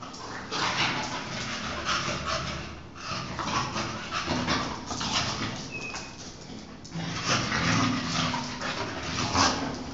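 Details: An English Bulldog and a Chow Chow wrestle in play; continuous low growling rises and falls in waves, with breathy snorts, a short whine near the middle, and rustling movement throughout.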